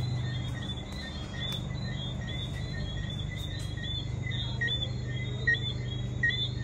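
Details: Many tree frogs at Negril Palms, Jamaica, out at night after rain: short, high whistled chirps, some sliding upward, repeating irregularly over a continuous chorus, with a low steady hum underneath.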